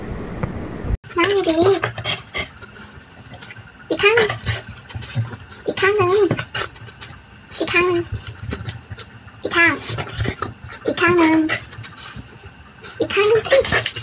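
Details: Siberian Husky in a funny dog compilation: short wavering, wobbly howl-like calls with rich overtones, each about a second long, repeating every couple of seconds with quiet gaps between.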